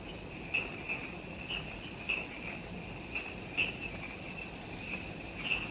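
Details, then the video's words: Forest insects on Ishigaki Island, Okinawa, Japan, just after sunset: continuous high rhythmic trilling with sharp louder chirps popping out about every one to one and a half seconds over soft ambient hiss. "Relaxing Jungle Ambience with Insects"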